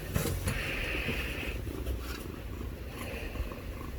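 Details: Pair of young kittens purring, a continuous deep vibrating rumble with soft rustling and short breathy hisses rising above it early and again near the end.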